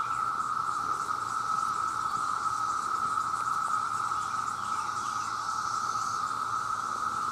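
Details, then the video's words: Millions of male cicadas calling out for mates: an intense, level buzzing drone carrying on evenly for the whole stretch, with faint hiss above. "The Sound of The Cicada"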